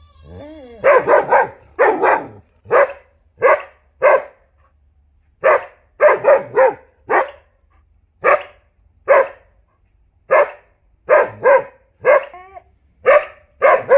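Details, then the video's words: Dog barking in a long run of sharp, loud barks, often in quick pairs or triplets with short pauses, a few slightly whiny, over a quiet background. "भौंकने वाले कुत्ते | Bhokane Wale Kutte"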